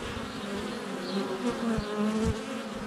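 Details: Honey bees swarming around a hive entrance in February sunshine, recorded with a GoPro less than a foot from the hive; steady humming drone with short rising and falling whines of bees flying past, bumps of landings.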